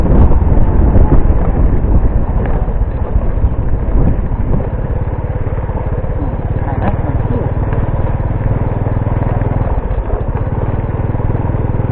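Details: Outdoors, a loud, steady motorcycle engine rumble dominates, with faint speech and no clear animal calls.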